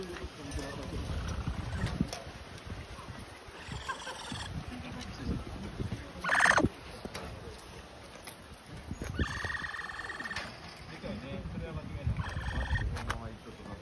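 Several brief bursts from a capybara come every few seconds, each a buzzy, rapidly pulsed tone with a metallic, almost electronic quality. Low rumbling and handling noise fill the gaps between calls.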